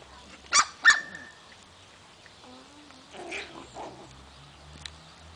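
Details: A Chihuahua playing, February 2008, gives two sharp, high yaps, followed by softer whines and low vocal sounds.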